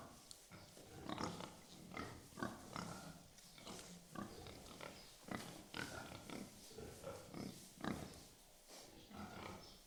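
Pigs grunting and snorting in short, rough bursts, several overlapping in quick succession.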